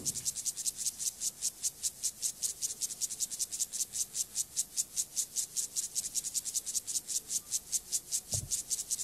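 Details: Male Siberian grasshopper, Gomphocerus sibiricus, courting a female: a steady series of high, hissing stridulation pulses, about two and a half per second and very regular, with one soft thump near the end.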